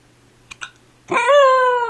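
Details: Four-month-old Siberian Husky puppy with the hiccups, whining about it; two faint clicks, then a drawn-out harmonic whine that slides slightly down in pitch, with a woman's voice before it.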